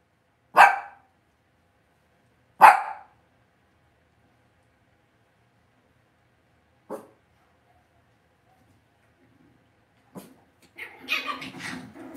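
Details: Cavalier King Charles Spaniel puppies in their home pen bark twice loudly two seconds apart, then a small yip, and finish with a burst of mixed squeaky yips and scuffling.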